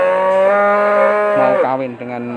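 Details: Cattle calling amid talk of breeding bulls: a sustained, steady, harmonic moo lasting about one and a half seconds, ending in a lower, rougher tone, with faint background noise.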